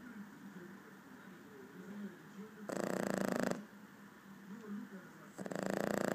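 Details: A four-month-old Boston Terrier snores with a low rumbling buzz broken by loud, rough snorts.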